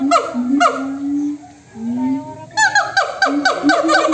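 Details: Monkeys answering each other in a loud chorus; two falling calls open, then long low drawn-out notes, a brief lull, and finally a rapid run of sharp descending calls repeated in quick succession.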